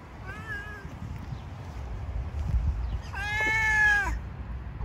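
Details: A stray stone-coloured cat that lives among stones is fed on the street. It gives a faint short meow, then a long, loud, bright meow after a pause, with low outdoor rumble underneath.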